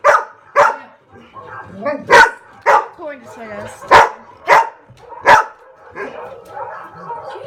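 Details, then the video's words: Household dogs answering played barking sound effects with loud, abrupt barks, roughly one every half second to second, with quieter growly yelps in the gaps and a person talking in the background. "Dogs go crazy over Barking sound effects"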